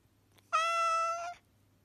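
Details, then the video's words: Persian cat in an angry mood giving a single drawn-out meow of under a second, held at a steady, flat pitch with rich overtones and ending abruptly, over a faint low indoor hum. "Cat Say Meowing Angry Mood"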